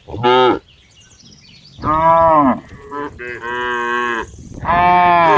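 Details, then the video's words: Cow producing loud, drawn-out moos, one short call, then a long wavering moo broken into segments, and a final sustained call, with little else heard. "cow funny sound"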